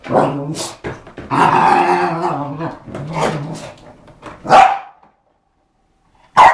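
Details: A dog playing with a skateboard, giving rough growling rumbles that break into short sharp barks, loud and close, with a brief quiet gap before a final bark.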